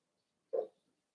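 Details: Cavalier King Charles Spaniel puppies playing in an indoor home puppy pen; a single short, mid-pitched yip lasting about a fifth of a second, then quiet room.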